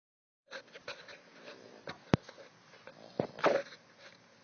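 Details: Small but loud pit bull puppy snoring while asleep: irregular, breathy snuffling rasps with a few sharp clicking snorts, rising in strength toward the end before fading back to soft breathing.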